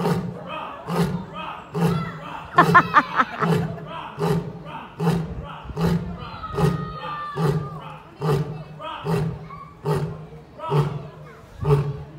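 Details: A lion at London Zoo answers a visitor's mimicked roar with a run of deep, heavy grunts, repeated a little under once per second, with onlookers' voices nearby.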